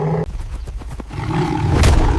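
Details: Male lions of two rival coalitions, three against two, meet in a territorial clash in a drought-hit delta. Deep, rumbling roaring with heavy low-pitched bursts that builds louder toward the end over scuffling noise.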